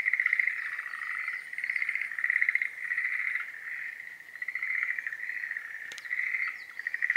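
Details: Breeding-season Schlegel's green tree frogs give a chorus of overlapping rattling trills in repeated bursts of about a second, with one sharp click heard near the six-second mark.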